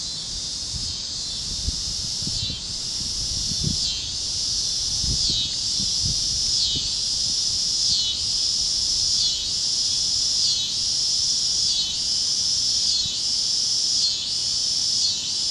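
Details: Cicadas chirping at sunset over the fields of Kansas on a warm great plains evening: a dense, high, shimmering buzz swelling and dipping in waves about every second and a half, with soft low thumps and rustles beneath.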